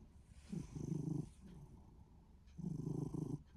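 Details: Minuet cat in good spirits, snoring or purring: two low vibrating rumbles, each about a second long, with a soft breath between them.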